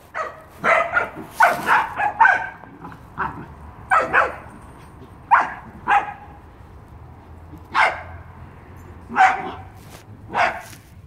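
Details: Pembroke Welsh Corgi on its first birthday, playful birthday antics; a series of short, sharp barks repeated roughly every one to two seconds, some clustered in quick bursts, over a quiet indoor background.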